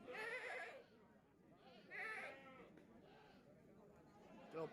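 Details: Bligon goats, Jawa Randu crossbreeds, kept for breeding in Java, Indonesia; two loud, wavering bleats at the start and another near two seconds, with a man talking in the background.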